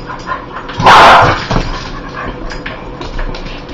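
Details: A dog with a dislike of spiders gives one loud, rough bark, followed by a softer trailing sound and low room noise.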